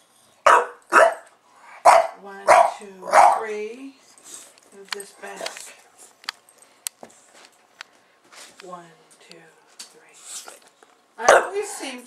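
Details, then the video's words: A pet bulldog named Buster barks at the camera: five rapid, raspy barks in the first few seconds, then softer grumbles and clicks, and a final bark at the end. Some human speech is mixed in. "Buster Bulldog reacts to Camera"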